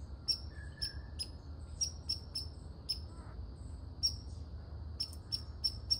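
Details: Red squirrel calling with loud, sharp, high chuck-like barks, some in quick pairs, others spaced irregularly, over faint low background noise.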